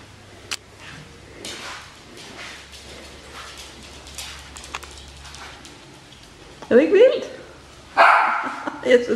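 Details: Bichon Frisé puppies from the V litter, indoors; a long quiet stretch with faint background noise, then two short bursts of high, squeaky yips near the end.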